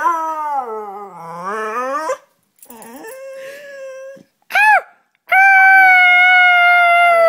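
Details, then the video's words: Dog named Charlie copying its owner: a long wavering howl that dips and rises, a quieter drawn-out note, a short arched yip, then a loud steady sustained howl. "Charlie making noise"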